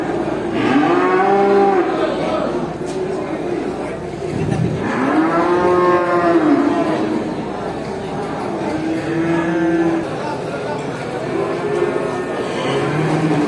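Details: Cows at a traditional animal market giving loud, long moos, several arching calls that rise then fall, some overlapping from different animals, with a constant low hubbub of market noise underneath.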